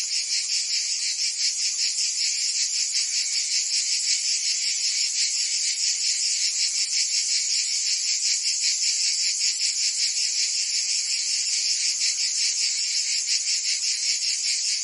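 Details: Cicadas in France's Provence during summer, a massed high sizzling song with quick rhythmic pulses, steady and continuous for the whole stretch, no birds or people heard.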